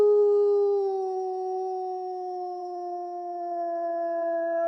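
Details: Wolf giving one long steady howl, a pure sustained tone with rich overtones that drifts slowly downward over nearly five seconds, with no other sounds.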